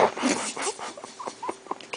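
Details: Pit Bull puppy, a new family addition, giving a series of short, high squeaky whimpers, about four brief rising-falling squeals in quick succession amid a hissy room background.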